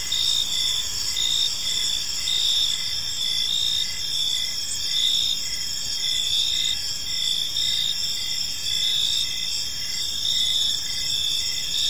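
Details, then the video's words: Crickets fill an evening park with a constant high, ringing chorus, a lower chirp ticking in brief evenly spaced bursts throughout, and only faint low-frequency ambience beneath. "Park Serenade: Cricket Sounds in a Peaceful Park | Evening Ambience"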